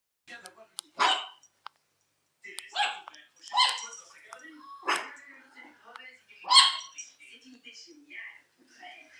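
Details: Two pet Chihuahuas, Félia and Fox, recorded on 27 September 2009: sharp, high yapping barks in short uneven bursts, about five over nine seconds, with human speech between and over them.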